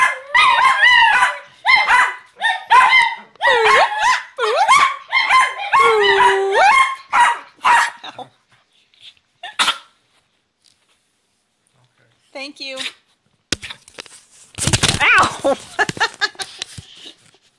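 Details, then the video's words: Mr. Belvedere and Sprocket, two Chinese Crested dogs, howl with their owner; a run of choppy wavering howls and yips for about eight seconds, then near silence, a faint call, and closing rustling noise. "Chinese Cresteds howling"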